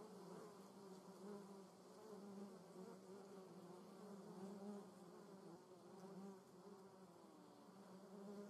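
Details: Vespula germanica workers at the nest, a thick ongoing drone from several wasps flying close by, the humming pitch wobbling gently as individuals come and go.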